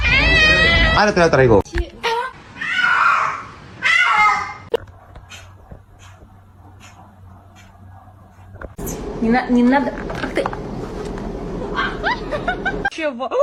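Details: Domestic kitten crying with harsh, wavering meows at the start and again after a quiet stretch, overlapped by people talking indoors.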